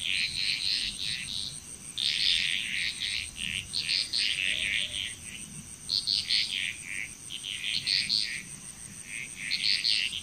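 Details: Bali, Indonesia frog chorus, with short, bright croaking bursts repeated every second or two by several callers, set against a steady high insect buzz.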